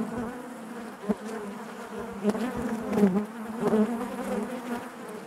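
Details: Buzzing of many honey bees within the hive: an even low drone with faint harmonics above it, broken by short louder pulses from nearby bees.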